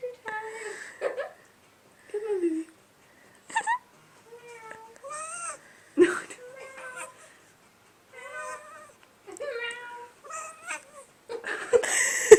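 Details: Domestic cat making funny noises: a string of short chirping, trilling meows, some rising, some wavering, separated by brief pauses, ending in a noisy burst.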